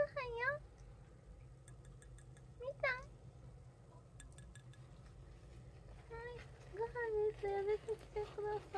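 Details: Household cats (brown tabby, Munchkin, Abyssinian) being called to food indoors. Two clear arched meows open the stretch, then a run of shorter wavering meows near the end, mixed with quiet human talk and faint clinks.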